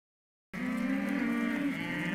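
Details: Hereford calves at a sale lot bellowing: one steady, drawn-out moo with a strong low tone and bright overtones, lasting about a second and a half after a silent start.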